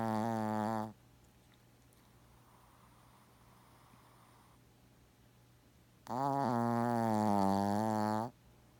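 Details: Shih Tzu dog fast asleep, snoring heavily like an old man and not stopping as the camera comes close; two loud droning, strongly tonal snores, one brief and one about two seconds long, separated by five quiet seconds.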